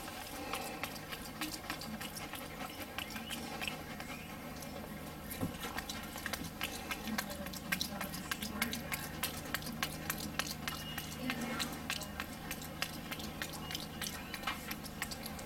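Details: Capuchin monkey Wolfgang eating a Johnsonville bratwurst, lips smacking: a dense, irregular run of sharp wet clicks and chewing sounds, quick and uneven, heard close up indoors.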